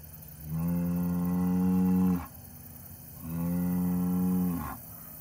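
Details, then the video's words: Deep, drawn-out lows from an Angus bull, two moos of nearly two seconds each, even in pitch and full of harmonics, the second closing with a short upward squeal, quiet pause between them. "this Angus bull can speak"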